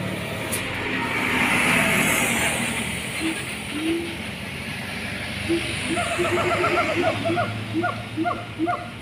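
A siamang gives a quick series of short, hooting barks over a steady rushing background hiss.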